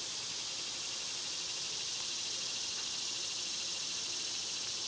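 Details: A loud, constant high whine from cicadas in summer runs without pause across the whole stretch, a bright electric-sounding hiss.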